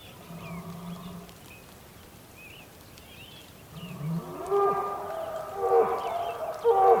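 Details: Bulls calling on the Patagonian plain in Tierra del Fuego, Argentina, on a rainy day: a low hum at first, then from four seconds loud harmonic bellows rising and falling in several bursts, with small bird chirps above.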